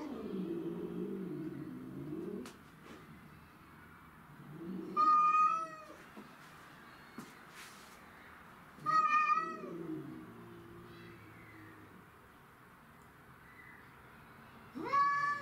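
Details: Cats fighting over territory, the domestic shorthairs Tom and Mimi facing a grey and white stray: low growling rumble, then three short loud yowls spaced about four to five seconds apart, separated by quieter growls and clicks.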